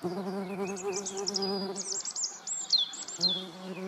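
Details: Median wasps (Dolichovespula media) alongside honeybees, filmed in the Eifel, Germany: a steady droning buzz with a low wavering hum, overlaid by high chirping birdsong throughout.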